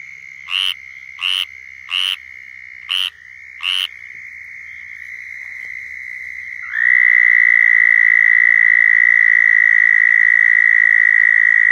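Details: Southern toads giving mating calls in Florida: a few short high buzzy bursts in the first four seconds, then a loud, steady, high trill begins near the seventh second and holds to the end over a fainter background chorus.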